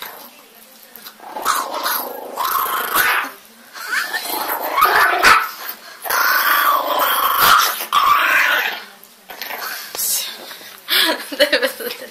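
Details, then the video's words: Very angry little dog growling indoors, low rough snarls in bursts of one to two seconds with short breaks, a person pleading in Ukrainian between growls. "Very angry little dog"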